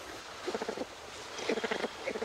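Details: Greater bamboo lemur (Prolemur simus) gives short bursts of rapid, pulsed grunting calls, a territorial call warning another lemur to keep away from the bamboo it is feeding on.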